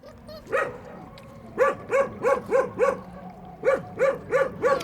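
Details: Puppies eating at a building site give short, high yelping barks, mostly in quick runs of three to four, about three per second, with a lone yip near the start.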